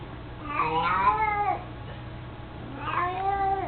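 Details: Old, mostly blind male pet cat, 18 years of age, with his toy mouse indoors: two plaintive, wavering meows about two seconds apart over a faint steady hum.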